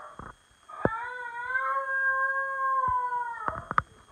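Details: On 24 February 2020, a male basenji gives one long, steady, tuneful howl that arches slightly in pitch, calling for his owner.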